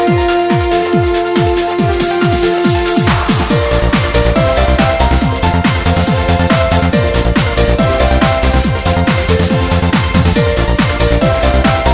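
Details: Driving electronic trance music with a steady pounding beat and sweeping synth tones, no animal voice audible.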